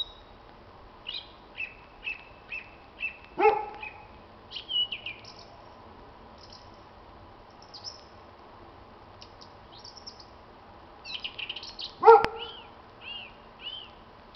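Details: A dog gives two short, loud barks, about nine seconds apart, during a blackbird's spring evening song on 26 March 2010. Between the barks the blackbird carries on with varied whistled and warbled phrases.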